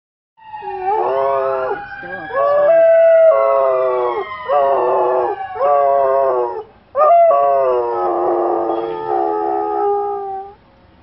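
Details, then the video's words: Rescue dog howling at a passing fire truck: long, wavering, mournful howls in repeated drawn-out phrases with brief breaths between, the wailing siren audible alongside and sweeping in pitch. "rescue Dog. howls At FIRE Truck"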